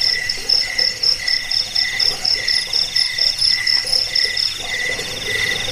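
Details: Crickets used to repel rats, lull listeners to sleep and train birds. Several overlapping shrill chirp trains sit at different pitches, with the loudest pulsing about twice a second in short bursts against a steady insect hiss.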